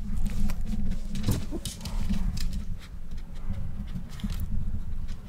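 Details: Male Miniature Pinscher eating a whole boiled egg for the first time: steady, dense low-pitched chewing and mouth smacking throughout, with a few sharper crunchy clicks near the middle of the clip.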